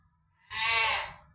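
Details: A pet cat indoors lets out a single bright, nasal meow of about half a second. Quiet low room rumble sits underneath, and Bengali speech comes before and after.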